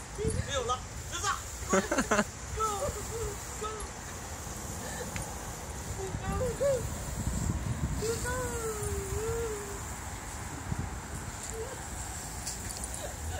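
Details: A Pembroke Welsh Corgi meeting a garden hose gives short, high yipping barks and a drawn-out wavering whine over rushing spray.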